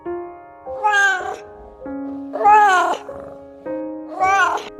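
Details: Domestic cat giving three clear, drawn-out meows, each rising then falling in pitch, spaced about one and a half seconds apart over sustained soft background music.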